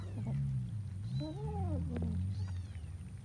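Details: A cat eating rice with fish lets out one clear drawn-out meow that rises and then falls, with a faint higher mew after it, over a low background hum.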